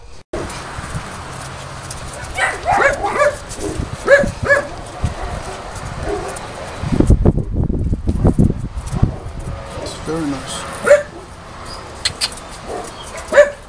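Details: Boerboels at a breeder's kennel, visited 30 October 2013, where a pregnant female is taken out; a few sharp barks and yips come in clusters, with people talking and a low rumbling noise midway.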